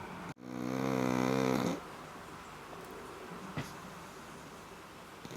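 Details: Black pug snoring indoors: one drawn-out, harmonic-rich snore lasting just over a second, followed by quiet room tone with a faint click.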